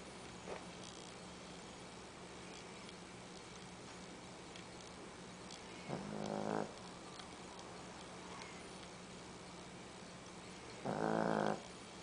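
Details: A 13-pound female dog snoring while asleep: two harsh, raspy, harmonic-rich snores about five seconds apart, each under a second long, over a steady low background hum with a faint click early on.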